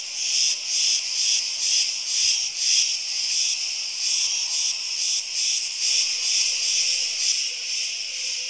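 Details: Massed cicadas on the Greek island of Crete pulse in a strong, rasping high drone, beating about twice a second. A faint low steady tone enters during the final seconds.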